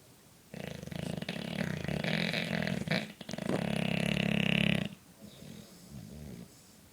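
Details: Sleeping four-year-old English Bulldog snoring: long harsh rasping snores lasting several seconds with gurgling, snorting texture, then a quieter wheezy breath.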